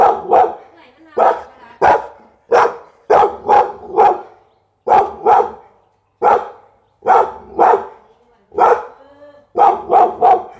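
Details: Repeated barking from a Pit Bull, single and doubled barks coming almost continuously, punchy and rough, with a faint whine-like tone between some barks.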